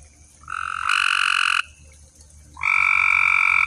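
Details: Night-time pond frog chorus, two long loud buzzy croaks with strong harmonic bands, the first rising in loudness, separated by about a second of quiet with a faint low hum beneath.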